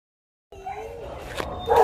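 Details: A vocal 10-month-old Siberian Husky puppy at an animal shelter gives a brief, tonal, howl-like 'singing' that wavers in pitch, then swells louder.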